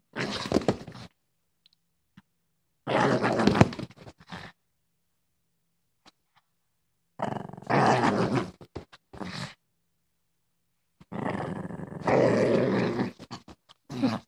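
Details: Female Boston Terrier acting tough inside a small room, letting out four long bouts of harsh, rattling growls separated by pauses of a few seconds.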